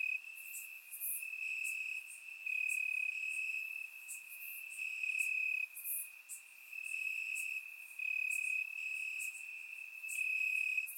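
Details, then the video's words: Crickets in grass on a warm Bulgarian summer night, recorded in surround sound, keep up a constant piercing trill that surges in irregular one- to two-second waves, with many short high chirps sprinkled throughout. "Cricket Sounds - Crickets Chirping at Night"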